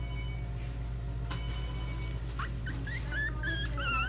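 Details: Mixed-breed dog at a pet shop in Nagano, giving thin high squeaky whimpers that rise and wobble, clustered in the last second and a half over a steady low hum and faint background music.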